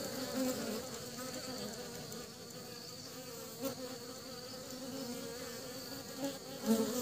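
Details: Honey bees returning to the hive with pollen in Vietnam: an even, low buzzing drone that swells slightly now and then, with small clicks near the start and end over a quiet hiss.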